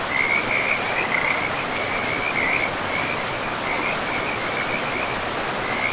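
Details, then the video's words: A pristine forest riverbank with frogs giving continuous high trilled pulses, grouped into brief runs with small gaps, all over a dense wash of rushing river water. "River and Frogs sleep sounds"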